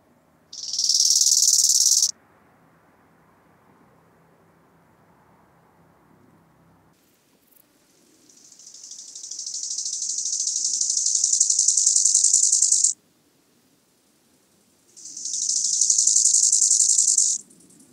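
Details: Bow-winged grasshopper in Hanfeld, Germany, on 19 September 2021, producing three rasping phrases: a short loud burst, a long five-second phrase that gradually crescendos, then another loud burst, all made of rapid regular pulses.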